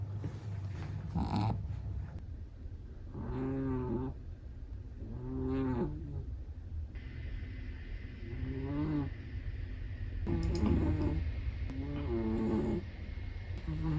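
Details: Snoring of a sleeping Chihuahua: a steady series of droning, tonal snores every two to three seconds, some with a rising, moaning edge, over low breathing noise.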